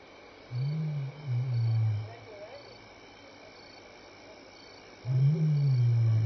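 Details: Lion at Elephant Plains Game Lodge, South Africa, 26 May 2011 between 6 and 7 PM, contact calling: two low, moaning grunts, the first in a pair of surges, then another starting near the end, over faint background hiss.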